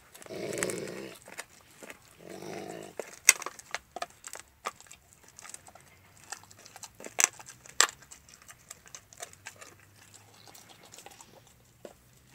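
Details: While eating a raw bone, the pet Alaskan Malamute Max lets out two short, deep growls in the first three seconds, then chews loudly with sharp bone-cracking clicks and quiet gnawing.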